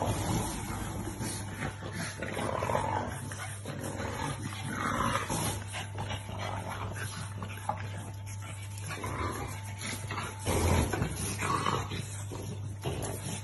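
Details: French Bulldog puppies making scattered soft grunts and brief whiny squeaks, with a few louder bursts, over a constant low electrical hum.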